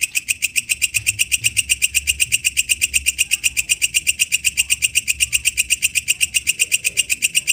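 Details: Katydid singing in the wild: a steady train of bright, rasping pulses about four per second, sharp and even throughout, with a faint low rumble beneath.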